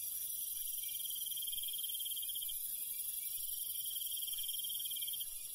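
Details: Night cricket chorus in rural countryside, with two long, even pulsed trills, each lasting a couple of seconds, separated by a short pause. They ring over a constant high hiss of more distant insects.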